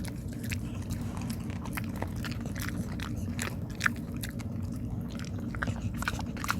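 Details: Dog munching on rice cake: crisp, uneven bites and wet chewing clicks that come in quick bursts, with one sharper crunch midway, all over a constant low background hum.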